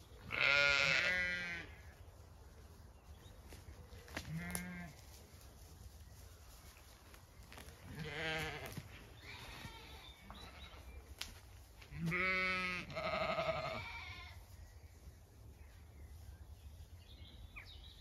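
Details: Zwartbles sheep flock on a regenerative farm in County Kilkenny, Ireland, spread out grazing diverse pasture in cool evening light after a hot day; loud, wavering, harmonic-rich bleats from several animals at irregular intervals, with quieter calls in between.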